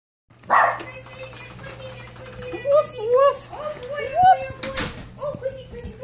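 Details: A dog recovering from a long battle with pneumonia gives short, squeaky, birdlike chirps in quick rising and falling bursts, with a human voice and a few thumps in the background.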